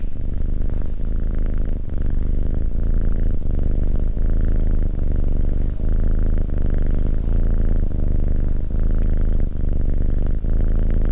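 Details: Male Abyssinian cat sitting close to a person and keeping calm company, purring without pause: a deep, even, pulsing rumble sustained across the whole stretch, with faint soft ticking sounds above it.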